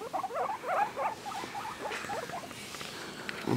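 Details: Two male pet guinea pigs vocalising as they are petted: a rapid run of short, bubbling, squeaky chirps, densest in the first second, then tapering into scattered notes, ending with a brief rustle.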